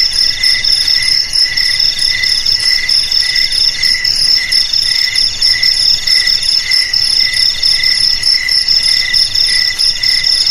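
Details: Cricket song said to repel rats from houses, sheds and rice fields: high, jingling pulsed chirps in quick bursts, a couple of insects calling together steadily, no other noises.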